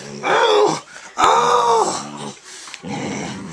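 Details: Pit bull fighting and biting its owner in a small room; two drawn-out, strained growls with a tonal, wavering edge, then a quieter rasping rumble.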